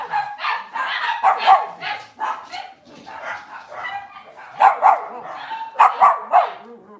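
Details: Cavalier King Charles Spaniel in a kitchen, cloudy Monday morning: clusters of ringing barks, quieter in the middle, then louder bursts again, with faint talking in the background.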